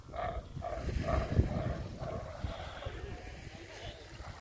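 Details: Galapagos sea lion on a beach on Genovesa Island, a big male guarding his harem and chasing off an approaching person; a run of short hoarse barks in the first half, then quieter rough calls, with low surf and wind rumble beneath.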